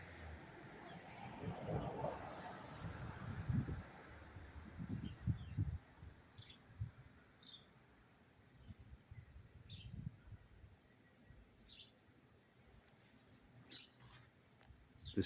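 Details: Non-stop chirping of a cricket heard up close in Tarrytown, New York, on September 27, 2023. A continuous thin high pulsed trill runs throughout, partly masked by low thumps and rumbling handling noise in the first half.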